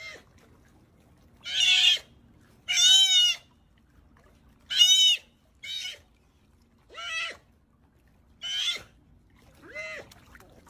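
A sea otter gives shrill, wavering squealing cries, repeated every second or so.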